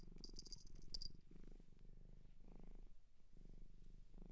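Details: Adopted shelter cat in Japan purring in low, throbbing bursts that rise and fade every second or so, with a brief high jingling tinkle at the start.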